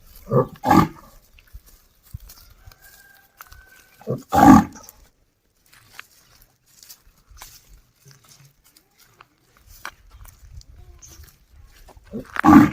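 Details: Desi bull in a village calling a companion to come home: loud, strained bellows in short bursts near the start, a strong drawn-out call around four seconds, and another rising at the end, with quiet rural background between.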